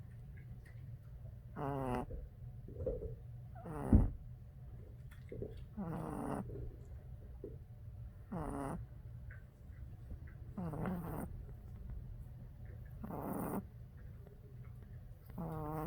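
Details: A tired Boston Terrier puppy snores in soft, rasping breaths, one about every two seconds.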